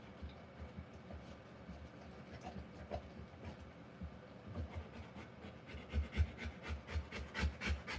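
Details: Rottweiler in labour, delivering puppies: quiet breathing at first, then from about six seconds a burst of fast, hoarse pants that grow louder, roughly three breaths a second.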